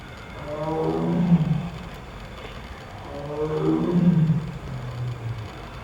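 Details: A tiger at İzmir Doğal Yaşam Parkı in İzmir, Turkey, gives two long, throaty roars roughly two and a half seconds apart. Each is deep and resonant, rising in strength then trailing off into a low rumble.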